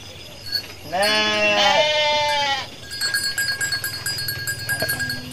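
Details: A Garut sheep mother, giving birth while searching for food, utters a single drawn-out wavering bleat lasting over a second, followed by a run of soft rhythmic thumping pulses.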